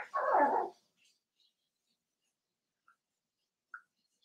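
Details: Indoors in their pen, one of five seven-week-old blenheim Cavalier King Charles Spaniel puppies lets out a single short, rough bark, followed by near silence with a couple of tiny squeaks.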